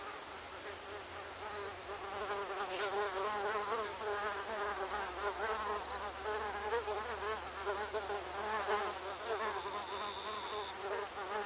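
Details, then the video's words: Many mosquitoes whining together in a dense cacophony: wavering, high, nasal buzzes overlapping steadily throughout, pitch wobbling up and down as insects move, with a faint low hum in the background. "Mosquito Cacophony 01 Ambience"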